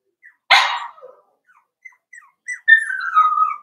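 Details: Four-week-old Cavalier King Charles Spaniel puppies from Daisy's litter in their pen: a sharp yelp, then scattered faint squeaks, ending in a long high whine that slides gradually downward.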